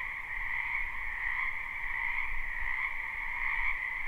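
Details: Frogs croaking together in a spring wetland, captured live: the steady two-band chorus continues throughout, with a noticeable low rumble underneath, possibly wind or distant traffic.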